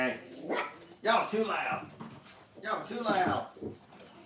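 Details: Five-week-old Brittany puppies in a crate at a training kennel, streamed live. Several high, wavering whines rise and fall in bursts, with a louder cluster near the start and another after a brief lull. Human voices mix in.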